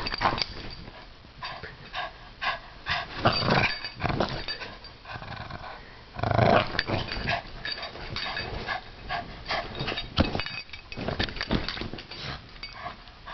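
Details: Zoe, a pet Bugg, growling while playing tug of war, all growl and no bite; rough, noisy bursts come in uneven runs, with a louder stretch near the middle.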